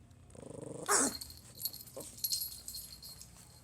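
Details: Pomeranian puppy trying to scare its owner: a short pulsing growl rising into one sharp, harsh bark, followed by quieter rough huffs.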